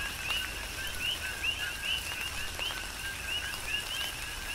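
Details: Coqui frogs in a Hawaiian tropical rain shower on the Big Island, giving bright rising chirps preceded by a lower note, several frogs overlapping, with distinct raindrop clicks and rain hiss.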